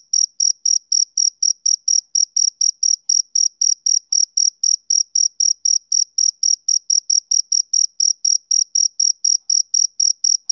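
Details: Male cricket on a summer evening giving a continuous series of sharp, shrill chirps, close to four per second, clean and regular with silence between each.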